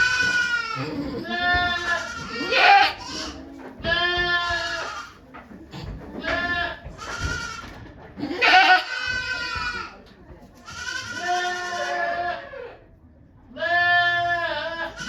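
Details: Okayu the goat in labour, delivering two kids on 3 May 2023 at Yoshigake goat farm in Japan as volunteers look on: a run of six loud, wavering bleats, some rising and straining, with brief gaps and soft voices between.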